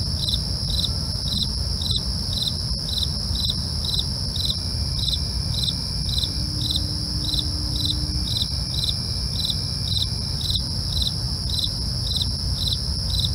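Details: Crickets at night, chorusing steadily: short bright chirps pulse about twice a second over a continuous high shimmering trill, with a low rumbling background noise underneath throughout.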